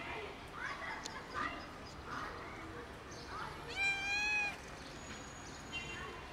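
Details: A kitten meows hard, then tumbles. One loud, clear, drawn-out meow rises slightly and then falls near the middle. Fainter, shorter cries and soft rustling surround it.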